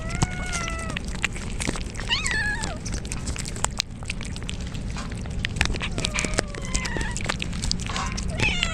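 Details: Soaked stray kittens crying in the rain as a typhoon approaches, with two mother cats nearby; several drawn-out, wavering meows overlap, some sliding downward, others rising in quick yelps, over steady broadband rain hiss and low rumble with sharp clicks.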